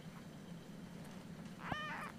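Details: Ursa, an almost four-week-old Siamese kitten woken early in the morning, gives a single short arched meow near the end, with a low room hum beneath.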